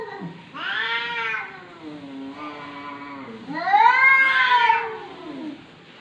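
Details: A talking domestic cat from 2020 draws out two long meows, the first bright and steady, the second louder, rising and then sliding down, with a softer murmur between them.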